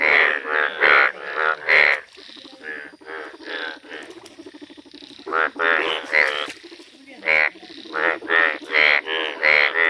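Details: Indian bullfrogs, yellow-coloured, calling in a village: bursts of loud, rapid, pulsed croaks, a quieter rattling stretch in the middle, then another fast run of croaks.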